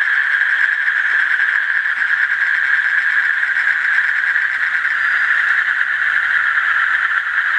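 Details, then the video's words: Asian common toad trilling nonstop, a high, rapidly pulsed buzz held at steady pitch, over a faint low hum in the background. "Asian Common Toad"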